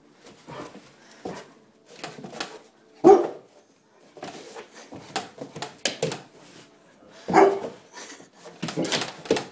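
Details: Puppy fighting a broom indoors in a small room: a few short, harsh barks and growly yelps, two loud ones about four seconds apart, between bursts of scraping and rustling broom noise.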